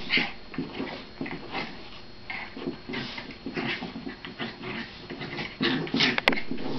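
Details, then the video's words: Several pet dogs play fighting indoors: high whining whimpers and brief yips alternate with low growly bursts, irregular and fast, over constant scuffling movement. "dog fight"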